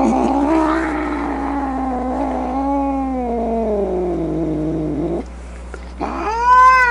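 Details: Angry domestic cat with a rough, growly yowl that wavers and sinks over five seconds, then a pause, then a sharper, clearer rising meow-like cry at the end.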